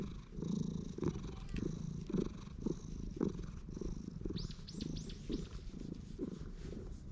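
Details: A stray cat in a park, patted and stroked repeatedly, filmed on a GoPro HERO8: a steady low rumbling purr pulsing about once a second, with brief chirping birdsong rising high in the background.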